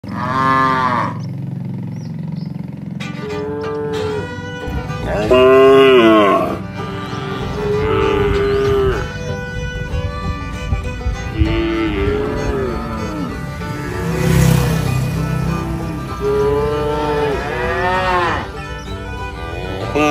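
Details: A tame village cattle herd grazing and interacting on a wide grassy pasture with trees gives repeated deep, drawn-out moos that swell and fade one after another.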